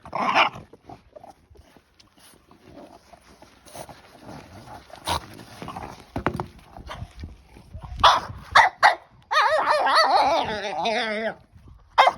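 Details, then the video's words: A French Bulldog puppy, carried away while playing with her new stick, gives scattered rustling and chewing noises, then sharp barks and a wavering, drawn-out whine near the end. "Frenchie vs. Stick! Sound On!!"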